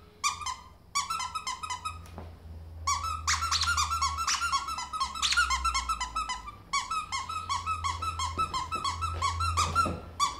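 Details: Jumping pet ferret indoors, playing like a dog, with fast runs of high, ringing squeaks and a low hum behind them, pausing briefly before more rapid squeaking.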